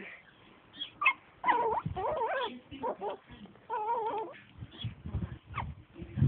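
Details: Six-week-old Yorkshire Terrier puppy playing, recorded May 2011, giving short wavering whines and yips amid people talking and handling noises.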